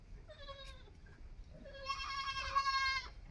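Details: Goat kid bleating: two soft, short wavering cries first, then a louder, longer quavering bleat that swells and breaks off, over steady low background hum.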